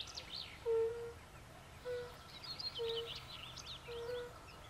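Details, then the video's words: Fire-bellied toad calling by a forest pond among pool frogs: four soft, low, fluty notes spaced about a second apart, with faint bubbling frog chatter higher up in the background. "Fire-bellied frog | Kumak nizinny | Bombina Bombina"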